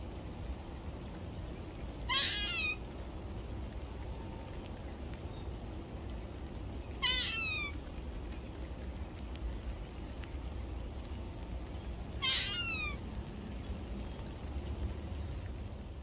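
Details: On a rainy morning in a garden, a squirrel gives three brief bursts of sharp, rapid barking notes about five seconds apart over steady rain.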